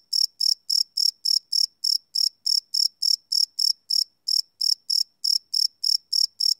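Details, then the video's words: Cricket chirps at night from a live Sony PCM D100 field recording: quick, shrill pulses repeated around three per second, briefly interrupted by a short gap near the middle, with no other sounds. "Cricket Chirp Sound - Cricket Sounds at Night"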